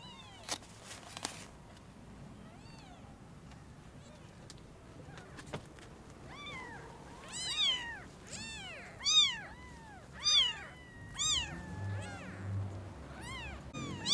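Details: Newborn kittens, eyes just opened, seeing their mother cat for the first time: after a few quiet seconds with faint clicks, a run of high, arching, harmonic-rich meows begins, about nine cries in close succession, some overlapping, over low background hum.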